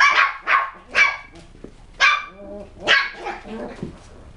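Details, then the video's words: Young West Highland White Terrier from a kennel gives five bright, piercing barks at uneven intervals, the later ones trailing into short tonal whines. "Puppies - Tricks and Threats - West Highland White"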